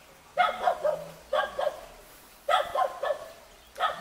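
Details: A cute Jindo puppy met in a mountain village near Jeonju, Korea, gives high, bright yips in quick bursts of two or three, about once a second.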